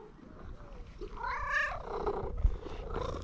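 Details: Happy fluffy orange female cat greeting a person she recognised from far away: one clear, drawn-out meow that rises and then falls, with low background rumble and handling noise, and a person's voice nearby.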